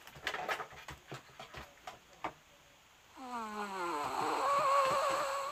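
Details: Sleeping pet dog indoors: a string of soft clicks and snuffles, then a drawn-out whimper that slides downward before breaking into a wavering, higher whine.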